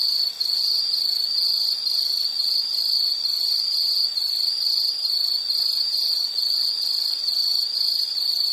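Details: High-pitched insect song made of short, regular pulses, close to two each second, bright and shrill, going on unchanged with no other creatures or noises audible.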